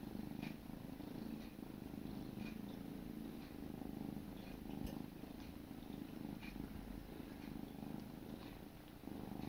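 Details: Grooming session between sibling kittens: an unbroken deep purr holds steady from start to end, with occasional small clicks of tongues and movement.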